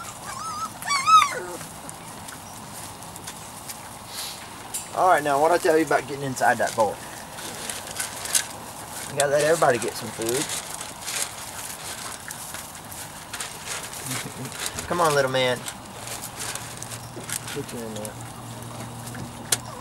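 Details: Young Weimaraner and Vizsla cross puppies, three to four weeks old from Biscuit's litter, whine in short wavering bursts spaced several seconds apart, over a quiet low hum and soft background rustling.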